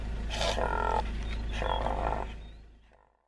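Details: Impala (Aepyceros melampus) uttering two hoarse, pulsed roars of about half a second each, one second apart, followed by a faint fading grunt as the sound dies away.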